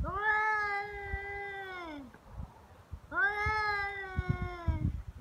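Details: Feral cats squaring off on Japan's Cat Day, 22 February, in a real fight; two drawn-out, steady yowls about two seconds each, separated by a short pause, with faint scuffling between them.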